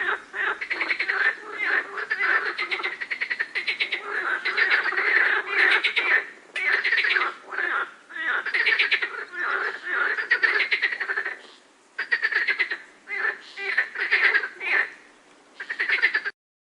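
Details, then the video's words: Dense chorus of frogs with birds in the background: rasping, rapidly pulsed croaks packed tightly together, sustained for long stretches, then broken by a few short pauses before cutting off abruptly near the end. "Frogs and Birds Chirping in the Background"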